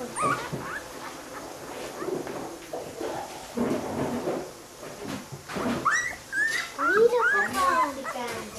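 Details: Newborn Dalmatian puppies, part of a litter of 13 born to the family dog Dushi in Curaçao in August 1997; thin, high whimpering squeals that rise and fall, bunched near the end, over family voices talking in Spanish.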